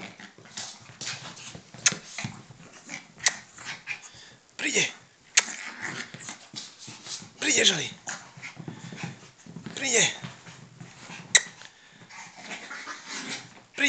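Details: Yorkshire Terrier mother playing with her one-year-old pup: several high, whiny yelps with sharply falling pitch sweeps, scattered a few seconds apart among scuffling and rustling play noises, with a human voice talking faintly in between.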